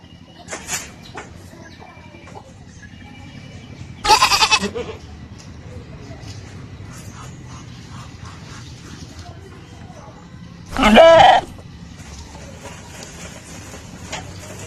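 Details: Goat bleating twice, a short buzzy harmonic cry near four seconds and a louder, longer one near eleven seconds, over quiet background hiss with faint rustling between calls.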